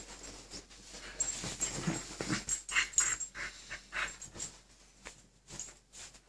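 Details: Two Keeshond dogs battling for control of the bed, a run of rough, breathy growling noises with snorts and pants, irregular bursts about twice a second, rising and falling in loudness.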